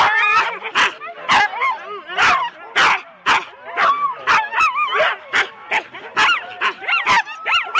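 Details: Several four-dog Husky sled teams at the start of a race at Rendlesham in January 2016, recorded on analogue cassette: sharp overlapping barks and high wavering yelps and whines from many excited dogs, sounding about twice a second.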